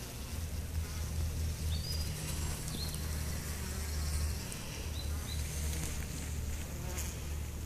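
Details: Honey bees from a hive suffering chronic bee paralysis drone in a continuous low hum, with brief thin bird whistles high above in the background.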